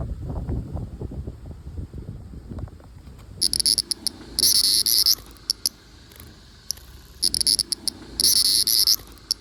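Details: Wild cicada recorded live, silent at first with handling noise, then loud, harsh, very high buzzing bursts of roughly half a second to a second, switching on and off in irregular groups.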